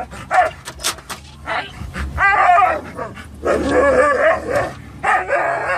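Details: On the car ride to PetSmart, three excited pet dogs, Norwegian Elkhound mix, Labrador mix and Teddy Roosevelt Rat Terrier, let out short sharp barks, then wavering whines and yips in quick bursts, low vehicle noise behind.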